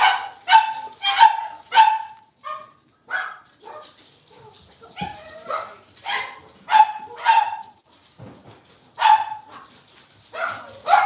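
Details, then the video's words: Blenheim Cavalier King Charles Spaniel puppies, a litter of five born at New Year, playing in their indoor puppy pen. Bright, high yappy barks come in quick bursts of two or three, roughly every half second, with short pauses between volleys. "Cavalier Puppies Livestream: Playing, Barking, and Learning"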